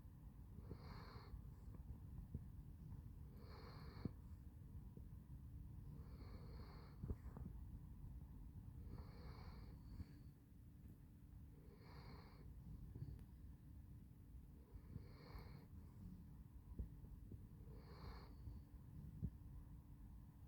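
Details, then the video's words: Handsome Jack, a sleeping Basset Hound, snoring steadily: seven raspy, breathy snores, one roughly every two and a half seconds, each a short hissing rush over a constant low hum. "Snoring Handsome Jack"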